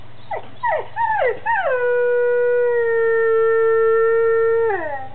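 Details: Bruno the dog howls in reaction to being given a lamb bone treat. Several short, sharply falling yelps lead into one long, steady, rich howl held for about three seconds, which then drops away at the end.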